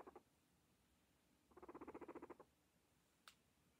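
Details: Pet guinea pigs while eating: a short pulsed burst, then a second-long run of rapid, even, purring pulses, followed by a single sharp click in a quiet room.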